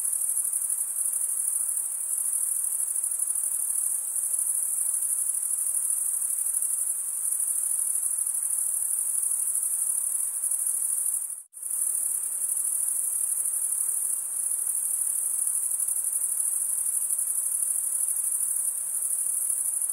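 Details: Continuous high trilling of chirping crickets, stridulation, broken only by a sudden brief silence midway before the same shrill chorus resumes unchanged.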